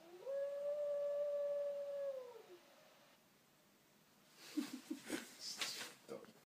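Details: A female Border Collie, head-tilting at howling, howls in one sustained, clear tone lasting about two seconds, rising at the start and sliding down at the end; after a pause come brief, broken rustles and knocks.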